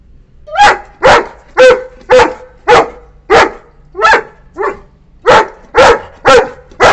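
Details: A 9-month-old female Saint Bernard puppy barks loudly and angrily at a visiting cat to drive it away, with deep harsh barks repeated roughly twice a second.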